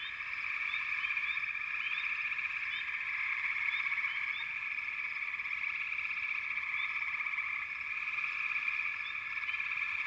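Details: Frog chorus from backwater: dense, continuous high-pitched trilling drone in overlapping bands, with short rising chirps scattered above it throughout, many callers at once, steady loudness.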